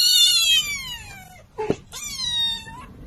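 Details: Cat; yowl; expressing anger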